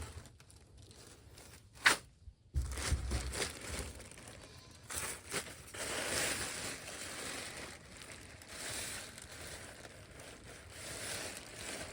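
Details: Tearing, crumpling and rustling of leaves or plant material outdoors, with a sharp knock near the start and no animal sounds.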